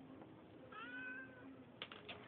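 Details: Tenshi, a neighbourhood cat with a bit of an attitude, gives one long, level meow that sags slightly at the end, amid soft background hum and a few clicks just afterwards.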